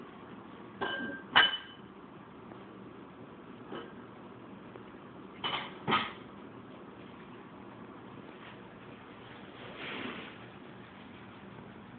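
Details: Quiet indoor room tone broken by a few clinks, taps and scraping thuds, with no animal vocalisation.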